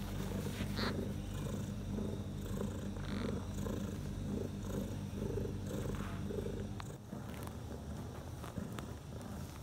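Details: Mother cat Bella purrs beside her four newborn kittens, six hours after birth; a low, rhythmic purr beats steadily for about seven seconds, then drops away to quieter rustling and a soft background hum.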